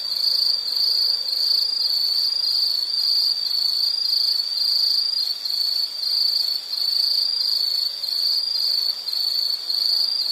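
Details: Continuous high insect trill used as soothing nature background, shrill and steady with subtle rhythmic pulsing and a few short dips in volume across the stretch, over light hiss.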